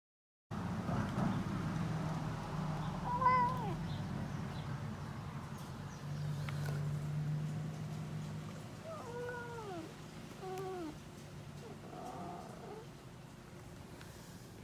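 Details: Black male house cat begging to go outside in a dramatic drag-and-plead request: a drawn meow early on, then a cluster of three rising-falling, tonal meows a second or so apart, over a low steady hum.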